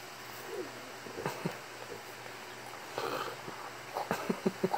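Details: A deaf French bulldog makes short, snorting, pig-like grunts in quick, irregular bursts.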